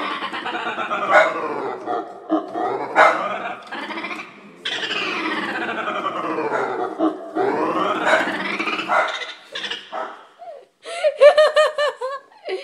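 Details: Pet dog reacting with dislike to a keyboard's sound effects, giving long sliding whining howls that rise and fall repeatedly, with short bursts of rapid repeated electronic tones near the end.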